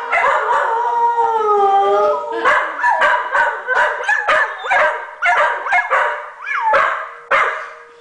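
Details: A Blue Heeler and a rescue dog howl in response to a tornado siren. Long wavering, harmonic howls rise and fall, then break into a run of short yipping howls. A steady siren tone holds underneath near the end.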